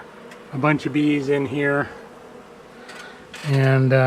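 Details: Honey bees grown angry at dusk while being cut out of a house wall on March 6, with bees getting into a torn veil; two strong buzzing bursts, the second rising in pitch and continuing, over a faint hum.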